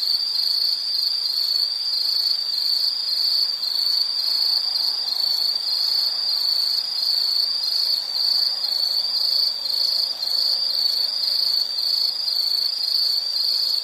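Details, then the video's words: Insect chorus from a nature soundscape: a steady, dense high trill, pulsing in rapid chirps without pause, with a fainter shimmering layer of higher chirps above. "Nature Sound of nature sounds scenery L · insect"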